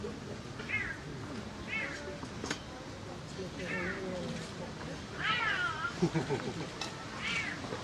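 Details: A snow leopard cub on its first day in the outdoor enclosure gives thin, arched mews, rising then dropping, every second or two, with people talking and crowd noise underneath.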